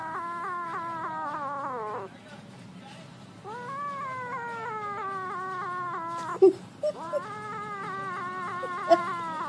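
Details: Cat among a compilation of kittens and cats doing funny things: three long, drawn-out wailing meows, each lasting about two seconds, rich in harmonics, starting with a slight rise and then sliding down, separated by short pauses, with a few soft clicks.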